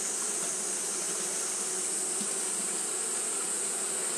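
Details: Short burst of Japanese honey bee fanning on a hot day: an even, thick buzzing drone layered under a bright, sustained high-pitched hiss.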